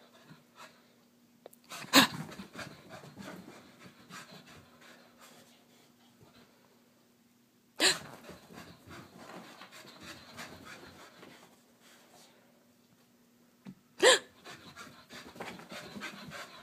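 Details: Wheaten Terrier named Harley exercising in the morning, breathing in rapid soft broadband pants, with three sharp loud knocks or thumps cutting in at roughly six-second intervals.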